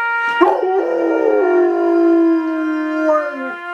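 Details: Coonhound mourning while howling along to taps: a long sustained wavering howl with strong stacked harmonics, steady for over two seconds then dipping at the end, with a trumpet-like tone underneath.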